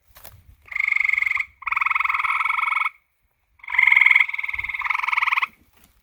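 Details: Frogs croaking at night in two clear bouts of rapid, grating, pulsed trills, each about one to two seconds long, separated by a short silence, over quiet surroundings.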